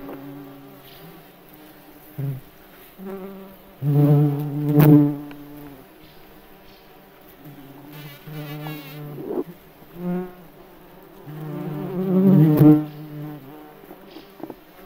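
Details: Forest recording of a May bug's wings: short, irregular buzzing bursts, with two louder droning passes and brief quiet gaps between them.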